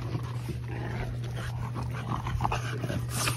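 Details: French Bulldog puppies from a litter playing in a green yard at Rosebull Kennel on a sunny December 1: soft whimpers and grunts scattered through the clip over a steady low hum, with a person talking nearby.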